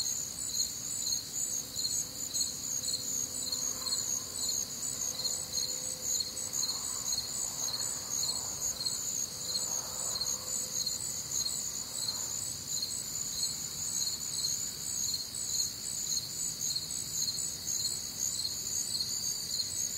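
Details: Night chorus of crickets on a warm, humid Midwestern summer evening: steady high trilling bands with rapid pulses, unbroken for the whole stretch, while a faint lower chirping insect and soft murmurs sit in the background.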